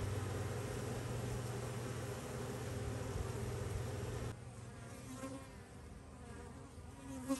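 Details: Bees being active, from clips recorded recently or the year before: a strong low droning buzz for about four seconds, then a sudden switch to a softer, thinner buzzing with a short tone near the end.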